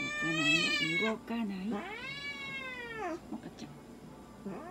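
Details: Munchkin cat at a veterinary examination and blood draw, giving loud drawn-out meows with strong harmonics, a long wail rising then falling, followed by a softer rising call, with rustling and handling noise.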